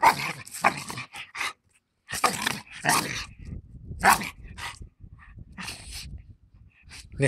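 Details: A Bull Terrier trying to fight gives harsh, rasping growls and snarls in irregular bursts.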